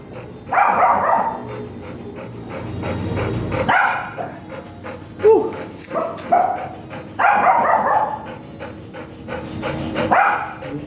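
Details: At a stud service in Binalonan, Pangasinan, a giant Golden Retriever lets out loud raspy barks in three main bouts, near the start, middle and later, with shorter yelps and thuds scattered between them.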